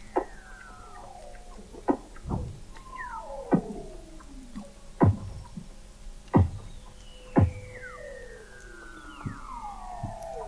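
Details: Beneath the sea ice of McMurdo Sound, Antarctica, November 2017, Weddell seals call in overlapping descending glides and whistles, punctuated by loud low thumps about every second and a half.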